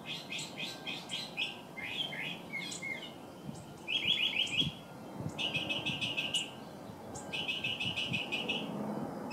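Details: Two baby California ground squirrels emerging from their underground burrow for the first time; bursts of quick, high chirps, each a rapid run of notes, repeated in clusters with short pauses between.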